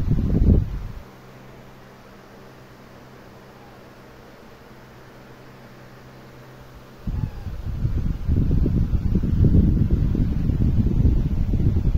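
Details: Steady low mechanical hum, followed by gusty wind and rustling noise buffeting the microphone.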